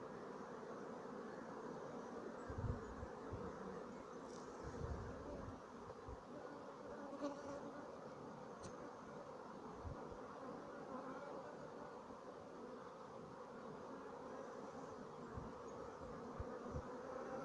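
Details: Colony of Sicilian black honeybees, dated 2017. A soft, steady, low droning hum with a faint tonal band runs throughout, with a few dull knocks.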